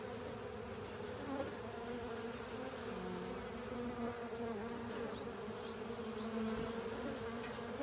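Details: Honey bees and fellow insects feeding on leftover honey in a filter, filling the air with a steady, rich buzz, slight wavering pitches as single bees fly nearer and away.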